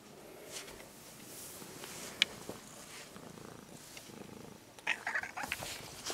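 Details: Purring from an orange-and-white stray kitten being stroked after it approached. Cared for about six months, it is now almost a house cat. A soft, steady rumble runs under handling noises, with a sharp tick and brief louder rustles near the end.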